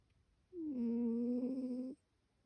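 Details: Ryu, a sleeping cat, gives one steady humming snore lasting about a second and a half, a low droning tone with faint overtones, in an otherwise quiet indoor room.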